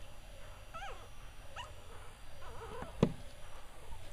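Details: Week-old Cavalier King Charles Spaniel puppies whimpering: several thin, wavering high squeals with falling and rising bends, spaced irregularly over a low background rumble, with one sharp click near the middle.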